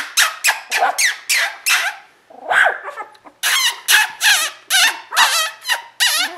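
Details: Border Collie litter from Koda and Skye, sable merle, 2014, giving high squealing whines in quick bursts, each rising then falling, about one a second with a brief pause midway.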